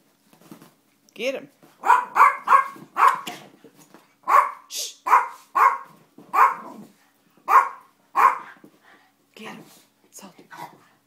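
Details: Dogs, a schnauzer and an Italian greyhound, wrestling indoors; sharp barks come in quick bursts of two or three, about seventeen in all across the stretch, with a higher whine at the start and quiet room sounds between.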